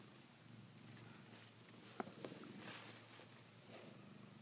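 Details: Savannah cat gnawing on a blanket it treats like a female cat's neck; quiet continuous low purring, broken by a couple of sharp ticks and brief soft rustling near the middle.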